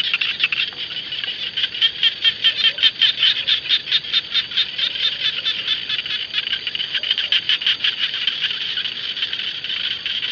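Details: Rice field frogs known as jana give a loud, rattling chorus. Distinct pulsed rasps stand out about twice a second from a continuous high background of other callers.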